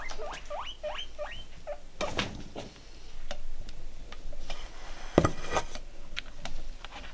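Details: Pet guinea pig in a calm close-up: a quick run of short rising squeaks at the start, then soft chewing, rustling and tapping clicks through the rest.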